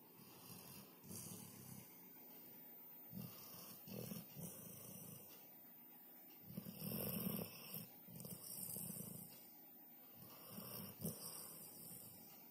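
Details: Labrador Retriever sleeping soundly on a sofa indoors in an apartment, snoring loudly; rough, breathy snores come in soft rhythmic pulses roughly every second, with faint steady high-pitched background hiss.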